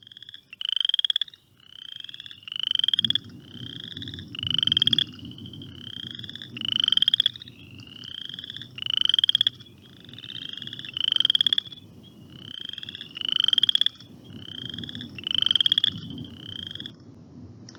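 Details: Western chorus frogs in Ohio give rising, creaky trills, repeated in a steady chorus like a creaky rocking chair; the advertisement call.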